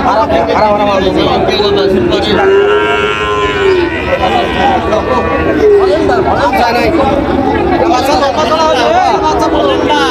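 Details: Bull calves of Sahiwal and Friesian breeds at a Munshiganj cattle market in Bangladesh, July 24; two drawn-out arching moos stand out around the third and sixth seconds over dense human chatter and bargaining voices.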